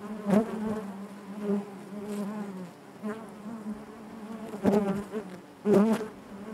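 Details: A honey bee hive hums with a deep, constant wing drone, interrupted by several loud close buzzing bursts roughly once a second near the start and again toward the end, plus faint tapping.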